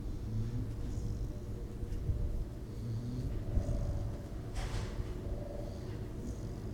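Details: Gidget, a female American Pit Bull Terrier mix awaiting adoption at the Berkeley-East Bay Humane Society, snoring nasally in a mellow lap-dog mood: a continuous low rumble of breaths with a brief snort near the middle.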